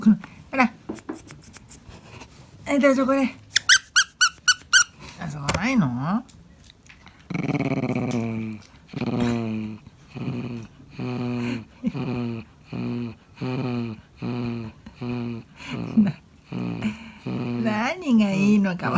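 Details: Indoors, the 13-year-old male Pomeranian Pon growls softly while trying to reach a toy without his owner's help. Brief squeaky bursts give way to a long string of short, low, grumbling growls, repeated rapidly with brief gaps.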